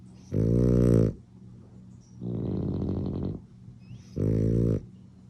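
A French bulldog snores with deep, buzzy snorts alternating with a rattling, fluttering breath.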